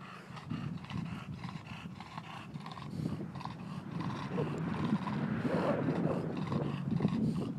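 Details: Bentley the bulldog, wanting the ball stuck in a tree, gives a continuous run of rough grunting, snorting breaths and throaty growls, rapid and uneven, growing louder toward the end.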